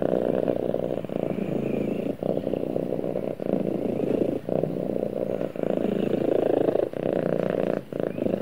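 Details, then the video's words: A domestic cat purrs while snuggling with its owner: a dense, steady low rumble with brief pauses roughly every second as it breathes in and out. "Cute Cat Snuggles With Owner And Purrs"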